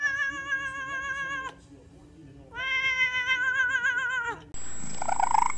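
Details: Domestic cat giving two long, drawn-out meows, each steady in pitch with rich harmonics and a slight waver, separated by a short pause, followed by an abrupt cut to a different, noisier sound.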